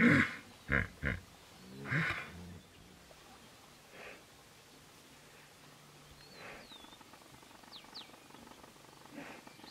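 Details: Hippopotamus fighting over territory in the wild: a few loud, deep, harmonic grunting bursts within the first two seconds, followed by quieter thuds, with thin bird chirps and whistles later against a low background hum.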